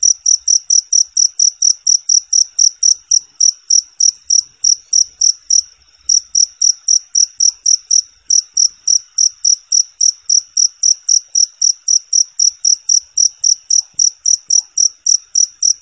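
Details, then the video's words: Cricket sound for training competition birds: a long, even train of sharp, high-pitched chirps, briefly pausing near the middle before resuming at the same quick rhythm. "suara jangkrik bersih dan jernih"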